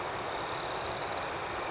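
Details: At night outdoors, one cricket gives a clear, rapid, pulsing trill lasting under a second over a soft, continuous high background chorus of more crickets.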